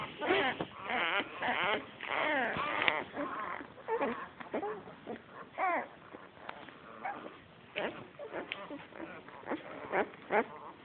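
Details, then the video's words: Litter of seven Australian Shepherd puppies, born 12 August 2010, mixing red tri, black tri and blue merle coats: bursts of squealing, wavering whimpers and short yelps come in clusters, some loud and bending in pitch, separated by brief lulls. "Australian Shepherd Puppies makes cute sounds"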